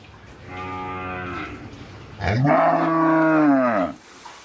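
A cow gives two moos: a softer, steady one about a second long, then a louder, fuller moo that swells and falls over about a second and a half.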